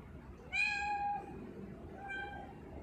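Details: Pet tortoiseshell cat named Sia, a female tortie, at home; one clear, rising-then-level meow with rich harmonics, followed about a second later by a softer, shorter second meow over low room hum.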